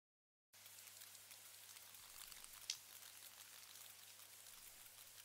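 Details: Sperm whale (Physeter macrocephalus) gives a single loud clang, one loud click, over the steady crackling-fire sound of echolocation clicks from a whale group; sperm whales are highly social and rarely alone.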